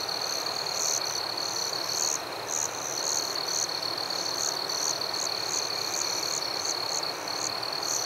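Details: Crickets calling at night in a forest: a sustained shrill tone with louder, spaced high chirps roughly every half second, some doubled, over soft steady hiss.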